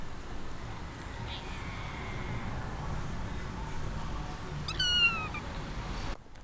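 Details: Injured kitten hit by a car, conscious but unable to bear weight on its left hind leg, meowing in pain. A faint thin cry comes first, then one short, clear, falling meow near the end, over steady low background noise.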